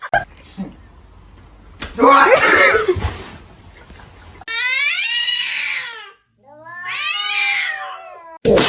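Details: Domestic cat giving two long, drawn-out yowls, each rising then sliding downward with rich harmonics, after a burst of noisy human sound and a short quiet gap.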